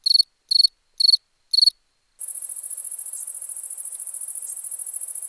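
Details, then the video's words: Four pulsed cricket chirps, about half a second apart, give way after two seconds to a continuous, very high, buzzing insect trill that lasts to the end. "Cricket sound"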